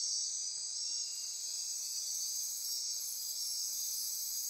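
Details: Night chorus of rainforest insects near Corcovado National Park, Osa Peninsula, Costa Rica, a steady piercing trill and buzz filling the upper range, briefly swelling in intensity partway through.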